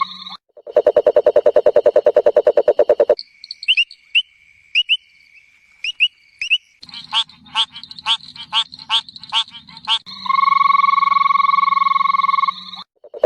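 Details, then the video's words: Frog chorus in changing segments: a long, fast, even train of low pulsed croaks, then scattered, high, upslurred chirps. Next comes a series of rasping croaks roughly every half second, then a sustained, droning, buzzy trill. "Suara Kodok, Bunyi Katak"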